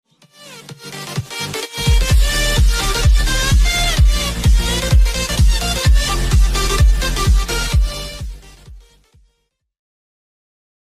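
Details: Loud electronic dance music with a steady thumping beat and bright synth notes, which cuts off into silence near the end.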